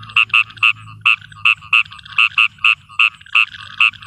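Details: A frog in a field at night gives short, bright, nasal notes in an uneven series, several each second.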